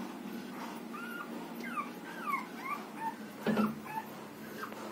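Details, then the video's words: Six-day-old Rottweiler puppy during milk feeding: soft, thin squeaky whimpers, short rising and falling notes scattered over five seconds, with one brief dull thump near the middle and faint background hiss. "6 days old rottweiler puppy milk feeding"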